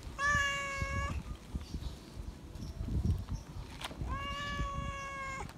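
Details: A feral cat asking for attention and affection gives two long, even, loud meows about three seconds apart, each held nearly a second with rich harmonics, separated by quiet rustling.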